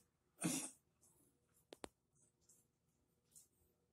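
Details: Shiba Inu whose lymphoma has spread to its lungs, coughing through the early hours; one short, rough cough bursts out near the start, followed by a few sharp clicks and faint breathing indoors.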